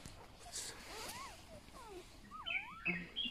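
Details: Newborn golden retriever puppies, one of a litter of eight on a rural farm, give faint, thin rising-and-falling whines while people talk nearby.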